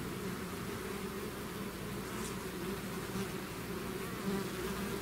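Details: Swarming bees out of their hive produce an unbroken, layered droning buzz, steady in loudness, with brief brighter whirs as individuals fly close.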